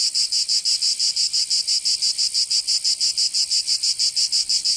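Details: Provençal summer cicadas in southern France produce a piercing rhythmic buzz, each pulse sharply separated, roughly three pulses every second, steady and unaccompanied.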